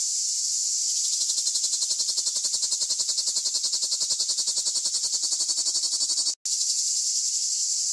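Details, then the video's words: Chorus of cicadas producing a steady, shrill buzz with rapid regular pulsing, briefly cut by a sharp break near the end before the buzzing resumes. "Pol Dance des cigales"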